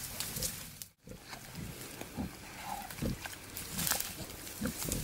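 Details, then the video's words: Wild boar, a male courting a female in the wild, gives low grunts in irregular bursts roughly once a second, with rustling and scattered clicks around them. "Wild Boars love story"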